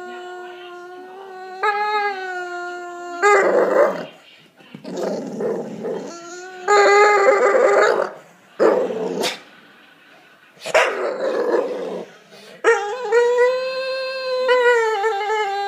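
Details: Staffordshire Bull Terrier kept as a pet, vocalising because he is being ignored: long tonal whines and howl-like moans with rich harmonics, broken by rougher groaning bursts, rising and falling over about sixteen seconds indoors.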